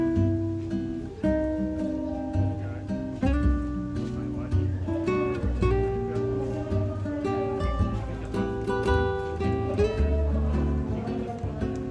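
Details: Acoustic guitar music with strummed and plucked chords plays throughout, joined by a sung or spoken voice, and no animal sound.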